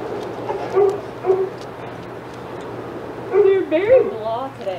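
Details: Senior dogs in the outside yard of Old Friends Senior Dog Sanctuary get excited as Titus passes. A few short yips come first, then a burst of high, wavering whines and yelps rising and falling near the end, over a low background murmur of voices.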